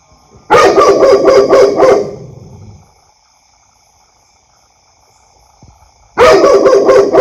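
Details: Dog letting out a rapid volley of loud, harsh barks for about one and a half seconds, a long silence, then another volley starts.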